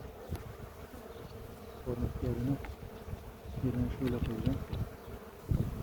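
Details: Honey bees humming at a village hive near Ceyhan while a beekeeper checks the queen after the honey harvest; a low, steady droning buzz with a brief louder swell, mixed with handling noise and a few voiced murmurs.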